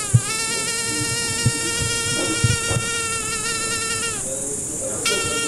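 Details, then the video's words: Fly buzzing: a steady, even drone with a strong overtone series, and faint low thumps scattered underneath. The tone cuts out briefly near the end and then resumes. "Звук мухи. Жужжание мухи."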